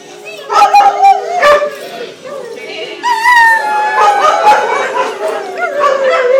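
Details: Several adopted greyhounds howl together at a 2010 picnic in Atlantic Canada, a chorus of long wavering tones with overlapping rising and falling pitches, mixed with people talking and chattering in the background.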